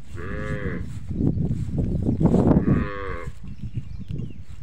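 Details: Cow offered for sale, giving two drawn-out, harmonic low moos, one at the start and another near the three-second mark, separated by a stretch of rustling and shuffling noise.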